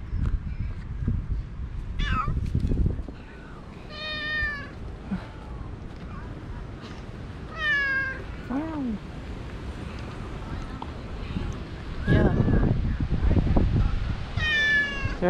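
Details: Six stray cats gathering in a park as a person pets one and prepares food; repeated harmonic meows, some high and drawn-out, one low bending call, scattered across the clip amid a person's speech and outdoor noise.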